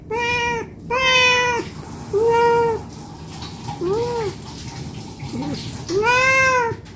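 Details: Domestic cat meowing non-stop while begging for food out of hunger; loud and softer meows alternate, some short and upward-arching, with faint background noise between calls.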